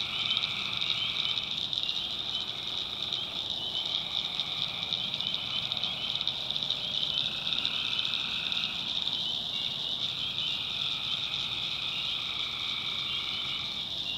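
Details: Night chorus of tree frogs from the North Carolina backwoods swamp: overlapping harsh trills come in bursts of two to three seconds separated by short pauses, layered over an unbroken shrill buzzing background.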